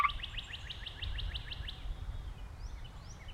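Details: Gray treefrog singing, 2010, among calling treefrogs; a rapid run of about eleven short rising chirped pulses over the first second and a half, then a few fainter upward sweeps, with low rumbling background noise.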